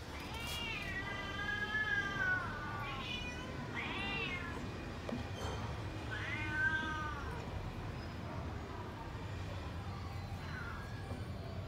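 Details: Hungry cats and kittens waiting for food meow repeatedly: loud, arched, harmonic-rich cries come every couple of seconds, one overlapping another early on, then fainter calls trail off against constant low rumbling noise.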